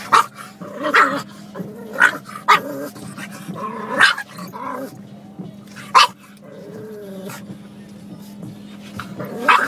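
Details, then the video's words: Pug barking at windscreen wipers: sharp single barks spaced one to two seconds apart, some with whiny rising tails, over a constant low car hum. "Pug vs. Windscreen Wipers"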